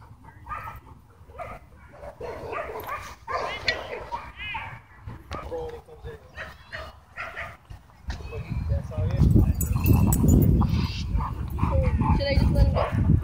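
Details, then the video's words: Doberman and Belgian Malinois in a dogfight at a dog park, stopped with an e-collar correction: high harmonic yelps and whimpers early on, then from about eight seconds a loud, dense burst of snarling and barking, with people talking throughout. "Doberman vs Belgian Malinois Dogfight E-Collar Correction At Dog park"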